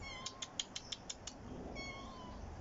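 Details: Rescue domestic cat outdoors on a roof in a garden on a sunny morning: a quick run of seven sharp, high chirping pulses, then a brief pause and a short, thin meow that slides downward.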